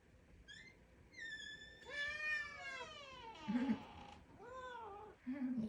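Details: A house cat, just awake from a nap and coming over to greet, gives a run of drawn-out meows, some rising then falling, with a longer wavering cry in the middle; soft human voice and faint room noise.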